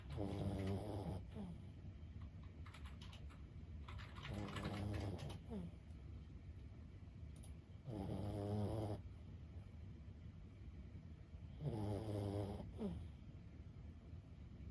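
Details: Sleeping 15-year-old Boston Terrier Lulu gives four deep, rasping, rumbling snores, each about a second long and spaced roughly four seconds apart, with a quiet hiss of breath and faint tapping clicks in the pauses.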